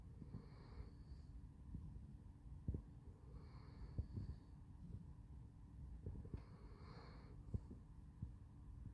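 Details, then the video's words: Sleeping Basset Hound named Handsome Jack snores in a slow rhythm, three hissing, whistle-tinged breaths about three seconds apart, with faint soft clicks and a constant low hum behind. "Snoring Handsome Jack"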